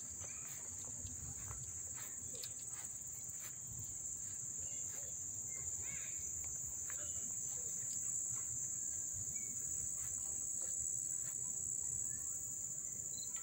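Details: August 1, 2014 crickets near Dobbs Ferry, NY, recorded close: continuous high shrill pulsing trill, with scattered clicks and a soft low background rumble.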